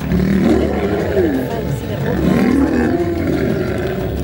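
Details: Fighting male African lion guarding its territory: dense, rough growling with brief wavering snarls rising and falling, backed by a constant low rumble.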